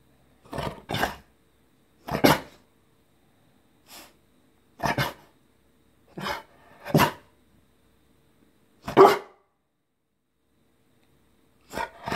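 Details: Eleven-month-old Rottweiler begging for sushi indoors right after eating his dinner, trying to look cute: about ten short, breathy, grunting bursts spaced roughly one to two seconds apart, with quiet gaps between them.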